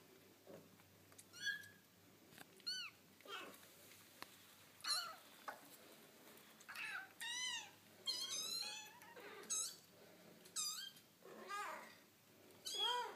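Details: Foster kittens playing with their mother cat indoors: a series of high, thin, wavering mews and squeaks, each brief and often rising then falling, coming in quick bursts about every second.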